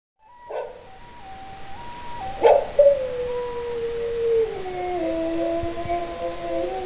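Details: Pet dog howling in response to a recorder being played: flat, stepped recorder notes open, then after a sharp burst a long, sustained, slowly falling howl wavers on.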